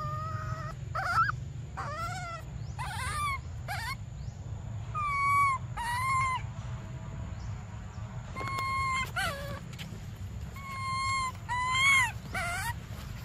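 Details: Briar, a baby monkey, cries for milk in a run of about a dozen wavering, whining calls, some rising then dropping, others held flat, coming in irregular clusters over a constant low background hum.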